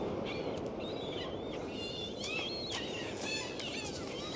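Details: Dolphins recorded underwater on a dive give faint, wavering whistles that rise and fall, with a few sharp clicks, over a steady low hiss of sea noise.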